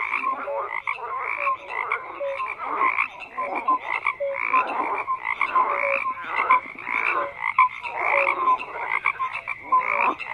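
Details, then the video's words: Many frogs croaking together in a dense chorus: overlapping raspy croaks pulse steadily, with short clear tonal notes standing out every second or so; no other sounds are heard. "FROGS CROAKING"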